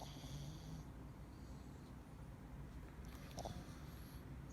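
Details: Deep, muffled snore from a male Scottish Fold named Dee while asleep, a low rumbling breath sound with a faint higher hiss above it.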